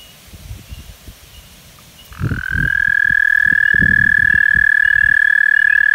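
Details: An American toad in Québec, Canada, recorded in 2022, gives a long, steady, high musical trill that holds one pitch without pause.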